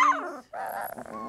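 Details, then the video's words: A litter of 3-week-old Lab puppies: a short whimper slides steeply downward, then a pause gives way to a rougher, noisy fussing from the pups. "Puppy Cacophony"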